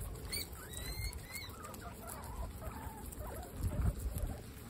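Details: Pet guinea pigs from a group of 26 females at a peaceful dinner time: short high squeaks and quick rising chirps, several in the first second, over steady munching and rustling, with a louder bump near the end.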